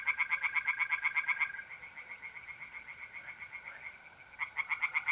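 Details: Fast rhythmic croaking of tree frogs at a pond on a mid-April night in north-eastern Italy, steady pulses that soften then return strongly, with the even trill of mole crickets running underneath.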